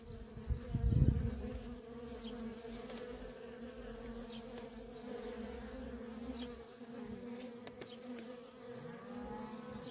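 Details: A feral honey bee colony with constant worker traffic. It opens with a loud low thump, then settles into a continuous two-toned humming drone as bees fly close by.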